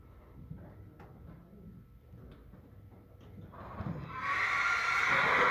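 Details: Thoroughbred mare. Quiet stable sounds with faint knocks come first, then a loud, harsh, wavering whinny rises in the last two seconds and ends the recording.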